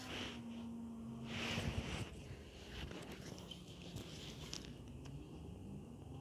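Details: Sibling cats in an aggressive fight: a low, steady growling tone held for about two seconds, then a deeper, quieter drone, over scuffling and rustling noises.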